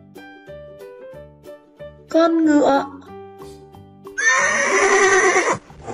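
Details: Horse neigh for young children learning animal names: after a spoken naming of the horse over a bouncy children's music track, a loud, shaky, descending whinny lasts just over a second, with the music continuing beneath.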